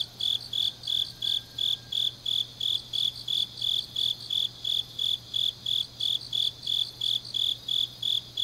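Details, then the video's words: Deep-night autumn grass insects recorded in Changnyeong, Korea, sing regular shrill pulses near three per second, layered over a quieter shimmering trill; a brief faint whistle-like tone passes early on, with a steady low hum throughout. "깊은밤 가을 풀벌레 소리"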